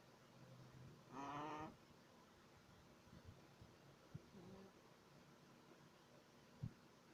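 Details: Three-month-old Shih Tzu puppy snoring in its sleep: one loud, nasal, tonal breath of about half a second with a whistling, harmonic quality, followed by quiet breathing and a few soft clicks in a calm room.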